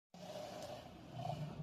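A tiger gives a deep, rumbling roar that holds steady and swells slightly near the end.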